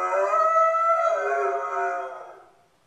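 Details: A single mournful howl from Spartacus, a dog left alone at home in a new house, held steady and then sinking in pitch as it fades away.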